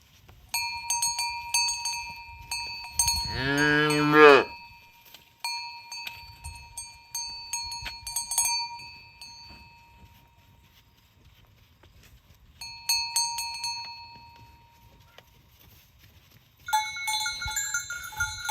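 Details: Tame cows herded along village roads toward the pen in the morning; one loud, drawn-out, low moo rich in overtones rises near the three-second mark and lasts over a second, while clanking cowbells ring on and off throughout.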